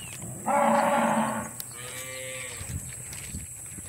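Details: Dairy cows on a small-scale farm during the separation of calves from their mothers: a loud, rich moo lasting about a second, followed by a second, softer and lower moo, over steady outdoor background hiss.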